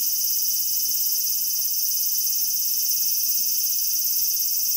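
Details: Cicada calling, a loud continuous high-pitched buzzing drone held steady from start to finish, with only a faint low hum beneath.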